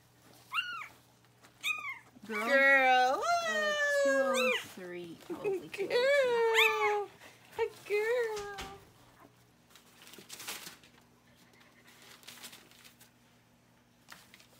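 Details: Newborn puppies squealing during a litter's birth indoors: a run of high, wavering, whining cries rising and falling in quick succession for several seconds, then fading into quiet room sound with faint murmurs.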